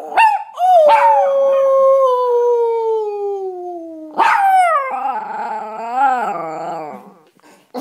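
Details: A Chihuahua mix howling together with its owner. Two yelping starts lead into a long, smoothly descending howl, then a fresh yip and a rich, quavering, wavering howl that wobbles up and down before fading.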